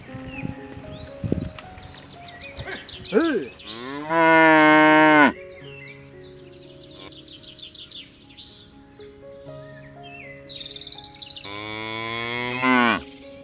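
Two drawn-out moos dominate, each a deep, harmonically rich bellow lasting about a second and a half. Between them, small birds chirp and twitter steadily in the background.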